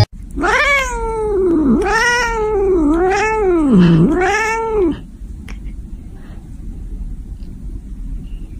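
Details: Angry domestic cat giving a series of four drawn-out, wavering yowls, each rising then falling in pitch, over about five seconds, followed by quiet room noise; a woman speaks in Chinese around it.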